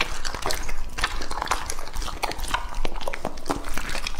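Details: Lucky, a two-and-a-half-year-old male English Labrador, gnaws raw meat, making rapid wet crunches and snappy bites that follow closely one after another.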